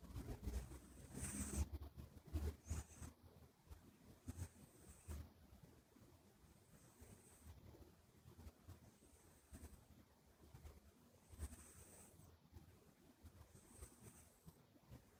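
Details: Sleeping Minuet kitten named Buri, short-legged and flat-faced, breathing noisily through the nose as it always does when asleep; thin hissing whistles return roughly every two seconds, with quiet low snores beneath.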